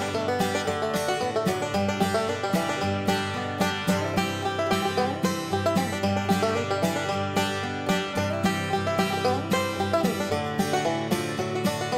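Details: Upbeat banjo-led country tune with plucked strings and a bouncy rhythm, with no animal sounds.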